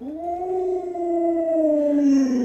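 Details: Luoluo, an Alaskan Malamute pet much loved by grandma, holds one long unbroken howl that rises slightly, then sinks gently over two and a half seconds, loud and clear over a quiet background.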